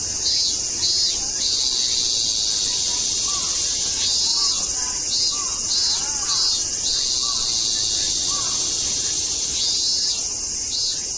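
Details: Cicadas in Tokyo in September 2012 sing as a dense chorus: a steady, very high hissing buzz fills the whole recording without a break, with pulsing bursts repeating on top and faint soft chirps lower down.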